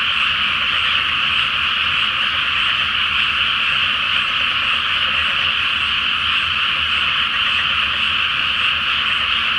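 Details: Many frogs calling together at night from a water-filled paddy field ahead of rice planting, full moon overhead in Japan; an unbroken, thick trilling chorus holding level from start to finish.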